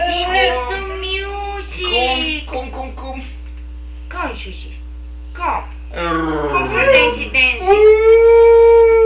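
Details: An 11-year-old talkative male Siberian Husky indoors howls in wavering, sliding tones, with yowls and a long rising note, while being told to lie down and come.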